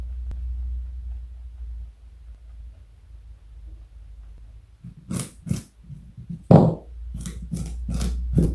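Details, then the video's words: Pet rabbit Joey, 4.6 kg and more than 60 cm long, munching a carrot inside; a long stretch of low hum gives way to loud crisp crunches, a couple at first, then a quicker run of bites. "Joey is Eating Carrot and Yawning. Cute Bunny."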